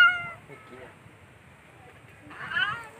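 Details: Domestic cats living at a hotel in Greece, where more than 10 neutered, ear-tipped cats are fed and played with by children; a short meow opens, then a louder drawn-out meow near the end, over talking voices.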